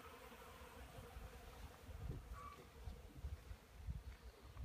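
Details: Honey bees foraging on pollen at a wooden hive on a 12-degree March morning; a steady hum with irregular low swells and a short brief higher tone midway.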